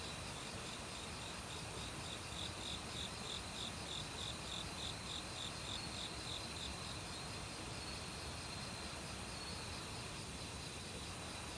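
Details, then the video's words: Autumn crickets in a forest, calling loudly for about a week, mixed with other insects: a fast train of short high pulsed chirps runs for several seconds over steady insect trills and the broad rushing noise of a mountain stream. "가을 귀뚜라미 소리"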